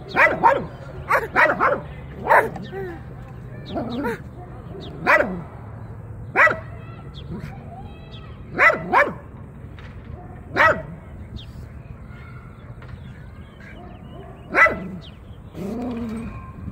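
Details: Repeated sharp barks from Jiraiya the dog come in scattered single and double bursts, mixed with people talking throughout.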